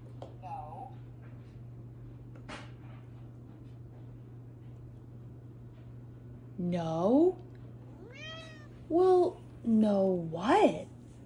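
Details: Russell, a ginger pet cat that talks with buttons, indoors: after a quiet stretch with faint voices, four loud drawn-out meows come close together, wavering up and down in pitch, the last one rising then falling, over a steady low electrical hum.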